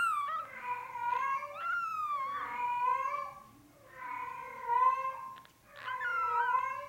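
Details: Insistent drawn-out meows from a male Norwegian Forest Cat kitten of Cattery FANTARJA, brown classic tabby and white, born 8 March 2020, calling nearly continuously with brief pauses, indoors.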